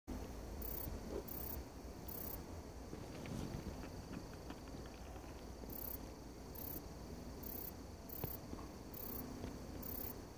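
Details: Requena verticalis katydid calling: very high, short buzzy bursts in irregular groups, a few in quick succession then pauses, over a steady low rumble of background noise.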